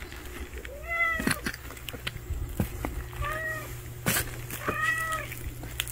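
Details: Hungry stray cat giving three short, clear meows spaced nearly two seconds apart, each slightly falling at the end, over a low steady hum with scattered clicks and knocks.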